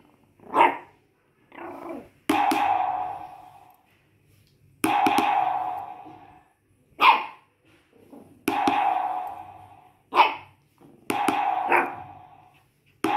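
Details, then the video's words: Shih Tzu puppy singing along with a drum beat. Short, high yelping cries fall between loud, booming drum strikes that ring out and fade, about a dozen sounds in thirteen seconds. "Shih Tzu Puppy singing with the drum beat"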